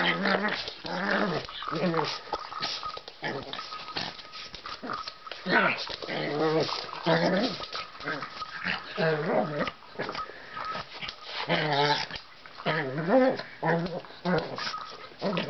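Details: Pug puppy at play with its ball, making repeated wavering whines and low growly grumbles in short bursts every few seconds, alongside scuffing play noises and occasional human voices.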